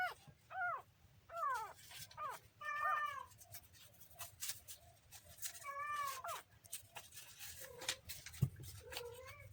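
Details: Kitten giving short harmonic meows, some rising then falling, others flat, spaced irregularly across the recording with faint background hiss and a soft thump near the end.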